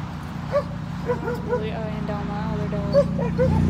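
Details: Siberian Huskies playing and swimming at a lake in a Colorado dog park during a road trip; a run of short, arched, whining yips, several a second, over low rumbling background noise.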